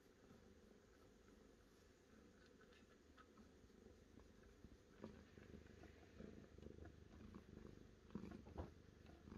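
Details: Cat giving a soft, continuous low purr, its rhythmic throb growing a little louder and more uneven toward the end, with faint clicks over it.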